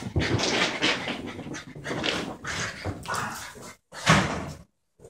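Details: A young female border terrier, aged 12 months, plays with a French bulldog of about four, baring her teeth in mock fierceness; throaty growling and huffing in loud rolling waves, then a short pause and a final grunt.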